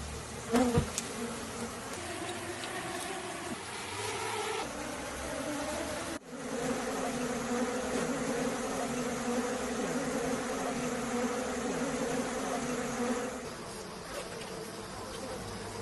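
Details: Bees buzzing as men collect honey: a dense, steady drone with layered hum bands, a sharp knock near the start and a brief dropout around six seconds before the buzzing resumes.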